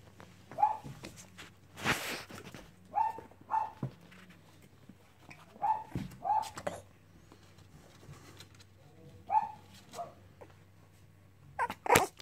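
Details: Cavalier King Charles Spaniel puppies playing indoors, giving short high whimpers and yips in scattered bursts, with a louder broadband scuffle or bark near the second second and a steady low hum underneath.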